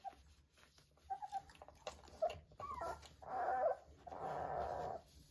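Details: Vizsla puppies three weeks old with their mother, soft faint whimpers and squeaks early on, followed by two louder, rough, drawn-out grumbling vocalizations near the end.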